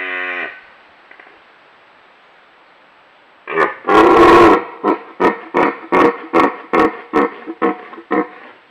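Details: Red stag roaring at close range: a brief harmonic call, a pause, then one long harsh roar that breaks into a run of about nine short grunting bursts, roughly two per second, fading slightly toward the end.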